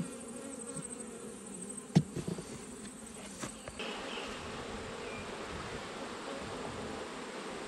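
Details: An autumn honey bee hive being closed up after inspection: frame knocks and scraping in the first half, then a steady, low, continuous buzz of the colony takes over.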